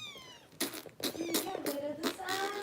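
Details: Foster kitten Harper, bottle-fed by rescue volunteers in Los Angeles: falling meows mixed with loud handling noises and bursts of broadband rustle, with a person speaking in between.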